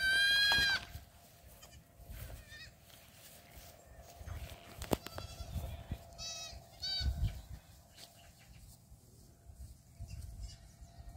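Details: Black goat kids dashing around at a farm in Gimhae, South Korea, on 8 July 2022: a sharp, loud bleat opens, followed by scattered faint distant bleats, clicks and rustling over a low background hum.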